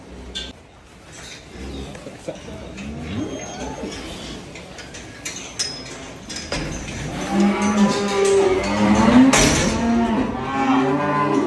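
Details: Cattle at Dhaka Agro in Bangladesh, a large collection of breeds offered for Qurbani Eid 2024; a faint low moo early, then loud drawn-out lowing with rich harmonics from six seconds on, overlapping calls, barn noise and clatter.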